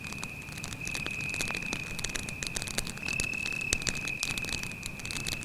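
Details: Beside a night campfire in the woods, a cricket keeps up a thin, level, ringing trill, partly masked by steady crackle and hiss from the flames.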